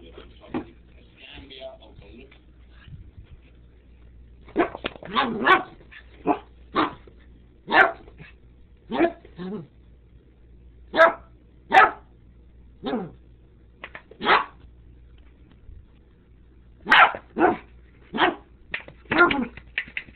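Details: Tobi the dog confronting a Sriracha bottle, barking in short sharp bursts that come roughly once a second from the middle of the recording on, with some quieter sounds at the start.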